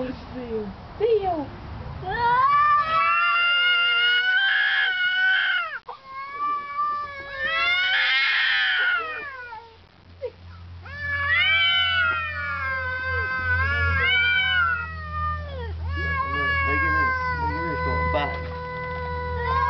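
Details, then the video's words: Standoff between two cats outside, a household cat answering a neighbour's cat with ever louder screams; repeated long rising and falling howls, some bursts near-shrieking, mixed with a man talking and a low steady hum. "Two Cats Talking"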